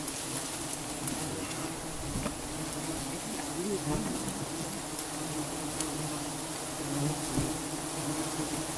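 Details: Swarm of giant honey bees droning as honey is harvested in the Cambodian countryside; a continuous, even buzz with scattered clicks and light handling noises throughout.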